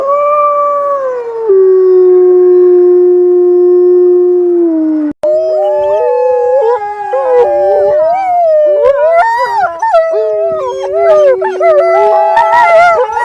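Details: Howling wolves: one long, steady, falling howl, then several overlapping wavering howls rising and falling together in a chorus.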